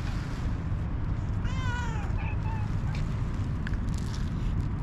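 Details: Hungry calico cat, waiting for food since morning, gives one drawn-out meow that slides downward in pitch, followed by a brief fainter mew, over steady heavy low rumbling background noise.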